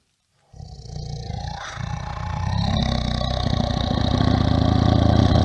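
A bear growls low and throaty, the rumble pulsing rapidly and swelling in strength over several seconds. The sound stays deep throughout, with a harsh, gravelly texture and no higher calls.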